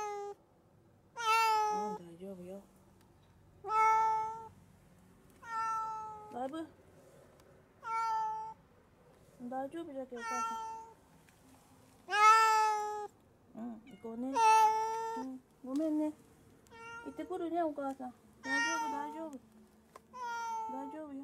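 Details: Male black cat, unwell and not eating for two days, at home before a vet visit: a long run of loud drawn-out meows, roughly every one to two seconds, some wavering, with a woman speaking softly in Japanese.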